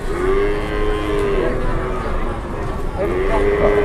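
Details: Cattle at a cattle market in Indonesia, dairy cows among them: a drawn-out tonal moo near the start, then a second long moo around three seconds, over steady crowd chatter and background noise.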